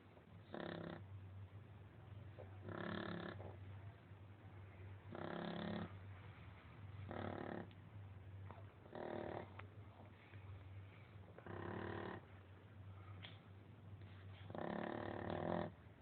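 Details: Female Shar Pei named Lolita asleep, snoring loudly like a man: rough rasping breaths in regular bursts about every two seconds, each lasting under a second, over a steady low hum in the background.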